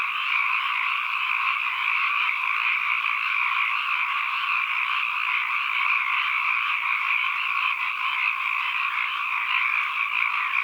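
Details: Ambient frog chorus: countless callers merge into a constant buzzing, croaking wall of sound in two pitch bands, even in volume from start to finish, with no other sounds.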